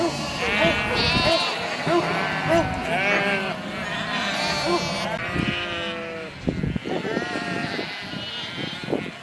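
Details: Sheep in a herd calling together: a steady mass of shaky, tremulous bleats overlapping one another, a few short higher cries standing out early, then a brief quieter moment before more bleats.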